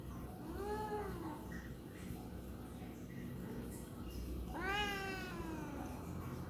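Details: Tabby cat complaining about something: two arching meows, a softer one early and a louder, harmonic-rich cry near the end, separated by a quiet stretch of low hum.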